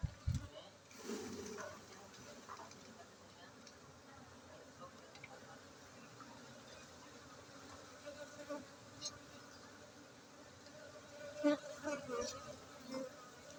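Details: Honey bees at a honey bee centre in Gayo, Aceh, Indonesia: a steady low droning buzz runs through the whole recording, with faint human voices and occasional clicks and knocks.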